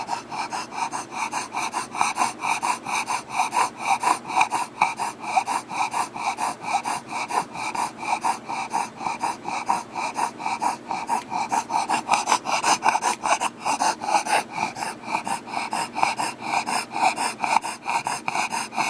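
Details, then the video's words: Pet Bulldog breathing very heavily, rapid raspy snorting breaths repeated about twice per second, steady and continuous throughout with a harsh wheezy rattle. "Heavy breathing of a Bulldog."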